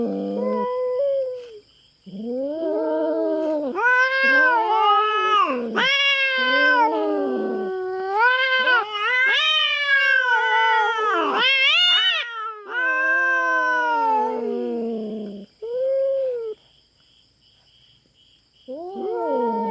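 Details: On a farm in the Philippines, a feral cat invades the resident cats' territory and confronts a black cat. It gives long, moaning caterwauls, wavering and slurring up and down, in dense back-to-back bursts, then a short pause before more.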